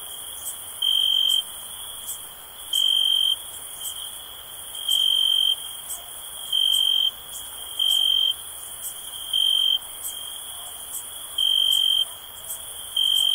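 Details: Cricket chorus for sleep and relaxation, a continuous shrill trill that swells into louder half-second pulses roughly every one and a half to two seconds, eight bursts in all, over faint high ticking.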